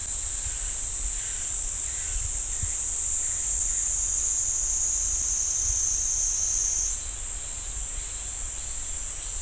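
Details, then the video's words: Continuous high-pitched cicada buzzing from the pine woods at Ssanggyesa temple, Jirisan National Park, holding one pitch and then stepping up after about seven seconds. "지리산 쌍계사 소나무 숲 매미 소리"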